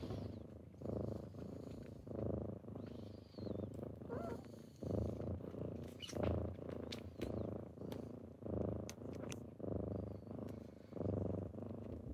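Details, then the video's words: Morning purring from kittens waking someone up, a deep continuous rumble rising and falling with each breath roughly every second, accompanied by small clicks and shuffling noises. "Morning with kittens"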